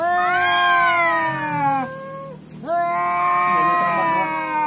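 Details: Domestic cat yowling while facing a rival and butting heads: two long, loud, wavering wails with rich harmonics, the first slowly sliding downward over about two seconds, a brief pause, then a second drawn-out wail rising and holding steady.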